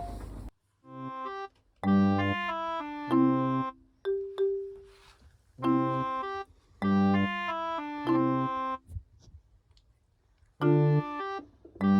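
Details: Bright electric piano chords play in short repeated phrases with pauses between them, and no cat or other animal voice is heard.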